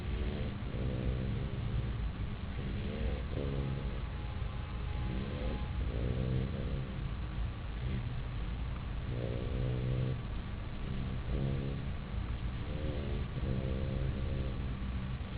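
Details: Sleeping puppy Chester in his bed, deeply asleep, giving rhythmic rasping snores in short bursts about every second or two, backed by a continuous low droning rumble.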